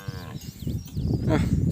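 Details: Calves crying after losing track of their mothers: a short harmonic bawl opens, then low, rough lowing builds to a louder call near the end, with a man talking over it.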